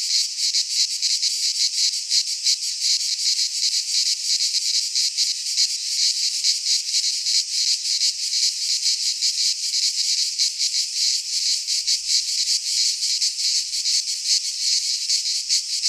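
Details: Cicadas singing in midsummer in a Greek pine forest: a continuous, dense, rasping buzz pulsing rapidly, several insects overlapping in a steady chorus with no other sounds.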